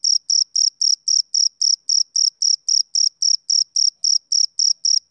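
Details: Summer-evening song of a male cricket: high, even chirps spaced a quarter second apart, about twenty in sequence, clean and uninterrupted, nothing else audible.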